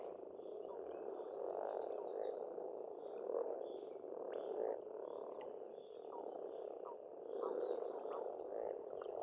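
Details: Massed frog croaking from a spring pond in Estonia, a dense pulsing drone with louder bursts every couple of seconds, and faint bird calls and high chirps scattered over it.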